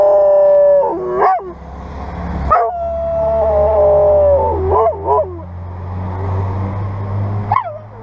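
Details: A Dutch Shepherd gives long, wavering howls that slide down in pitch, answering a responding fire engine's siren.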